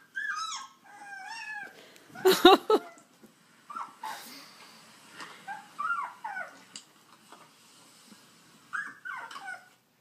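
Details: A female Alaskan Malamute, prompted by other malamute howling videos, gives short, wavering, whiny howl attempts that bend up and down in pitch.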